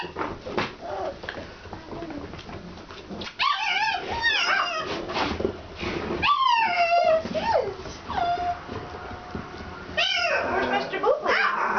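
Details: Alaskan Malamute puppies from Kalamals Kennel on their first time outside: high, wavering whines and yips with sliding harmonics, several overlapping, after a quieter start; bursts around four, six to seven and ten seconds.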